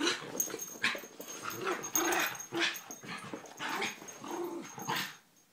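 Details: Three terriers, Poppy, Jazz and Max, trading short gruff growls and yappy bursts in quick succession, about five loud pulses over a few seconds, with a thin steady high tone behind them.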